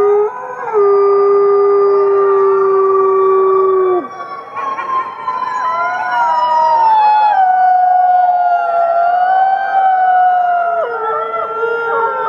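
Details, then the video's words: Captive gray wolves at the Wolf Conservation Center, South Salem, New York, reportedly fifty, howl together in long, sliding tones that rise, fall and overlap. "Fifty Wolves Howling"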